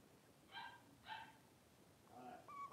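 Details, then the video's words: Three-week-old blenheim Cavalier King Charles Spaniel puppies at play in an indoor puppy pen, a litter of five; two short, bright yips follow each other within a second, then a longer squeaky whine rises at the end, room otherwise quiet. "3-Week-Old Cavalier Puppies Wrestle and Play Live"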